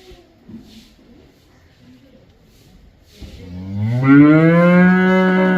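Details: Cow mooing: after a few seconds of faint background rustling, one loud, deep moo begins low and swells upward in pitch and strength, holding steady for about two seconds until the end.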